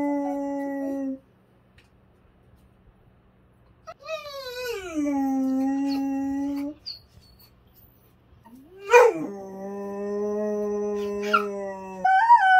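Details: Large intact male dog indoors, howling desperately for Sophie, a female in heat kept apart from him: three long drawn-out harmonic howls, the first steady, the second sliding downward, the third rising sharply and then holding a low, level tone.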